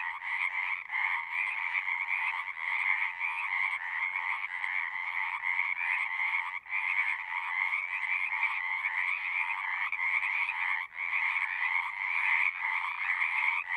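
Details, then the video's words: Singing frogs in a continuous natural chorus, overlapping rapid trills in two bands with a few short breaks, notably around seven and eleven seconds, where the sound momentarily thins before filling in again. "One hour of singing frogs."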